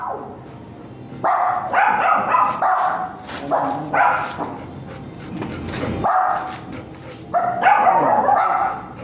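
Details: Giant Golden Retriever at a stud service in Binalonan, Pangasinan, giving rough, harsh barks in quick irregular bursts, several per second in clusters, with a brief human voice low in the background.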